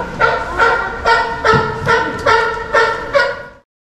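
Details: A sea lion gives a run of hoarse, honking barks, about two or three each second, at an aquarium where two young female California sea lions are kept. A male in breeding condition calls continuously in the background.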